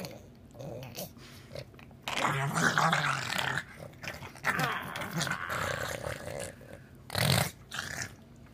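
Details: A pug making goofy noises: harsh, breathy snorts and rasping growls in loud bursts, with a sharp noisy burst near the end.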